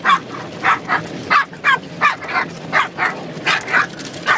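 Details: Puppy being washed, giving high yappy barks in a steady run, roughly one or two per second, over a hiss of water spray.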